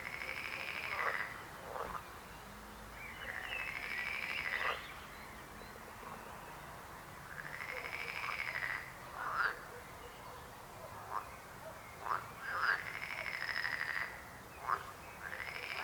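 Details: Frogs croaking: long pulsed trills of one to two seconds alternate with short clipped croaks, with pauses between bouts and a soft steady background.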